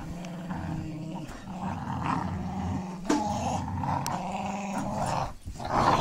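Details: Female Pit Bull Terrier growling while playing tug with a puppy, rolling on her back and letting him drag her; phone recording in low light. Steady low rumbling growl lasts about five seconds, briefly dropping before resuming.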